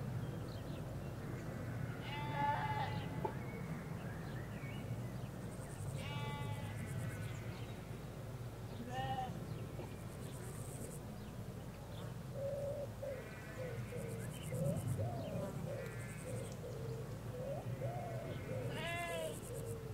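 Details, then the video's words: Ewes and their lambs in a Hampshire countryside field bleating repeatedly, some calls higher and shakier, others lower and drawn out, overlapping at times, with birdsong and a low background rumble from a nearby road. "4K Sheep Field - One Hour Sound and Video"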